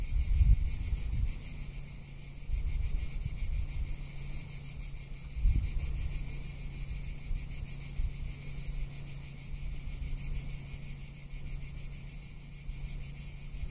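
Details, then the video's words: Cicadas in Tuscany in summer produce an unbroken, high, rattling buzz with fast even pulses; low gusts of wind and a faint low hum sit beneath. "Cicada or Cigarra - Sounds of summer in Tuscany"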